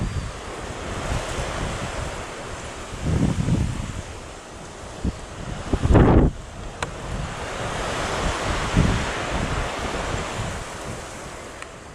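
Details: Steady surf and gusting wind noise on the microphone fill the recording, with no animal voice standing out.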